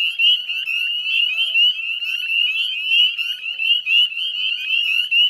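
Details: Spring peeper chorus from wetlands beside the Chezzetcook salt marsh, Nova Scotia, at dusk on 18 May 2020: overlapping shrill rising peeps merge into a steady high-pitched wall of sound, pulsing slightly in loudness.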